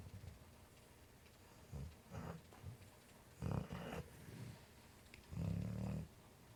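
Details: American Pit Bull Terrier, a pet dog tucked in cozy and asleep, snoring and dreaming: soft, low rumbling snores and grunts come in irregular bursts, about six of them, with the longest and loudest near the end, against a quiet room.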